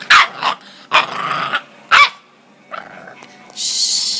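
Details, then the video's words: Bentley the Bulldog puppy, overexcited into hiccups and arguing against going to sleep, gives short rough growl-barks roughly once a second, three strong bursts, then a softer grumble and a hissing noise at the end. "Cute Bulldog -- Bentley Has The Hiccups!!"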